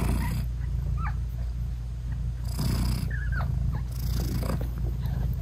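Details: Low continuous purring from a British Shorthair mother cat nursing and cuddling her tiny closed-eyed kittens, with a couple of faint high chirps and two louder breathy swells near the middle and end.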